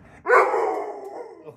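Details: Pit Bull indoors demanding carrots: a sudden, loud, groaning 'talking' vocalization that holds a harmonic moan for about a second before easing away, with a human voice speaking nearby.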